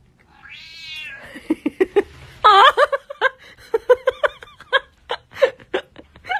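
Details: Domestic cat, shown in a funny pet-reaction compilation, gives one rising, nasal meow lasting under a second, followed by a rapid string of short, clipped bursts and chattering sounds.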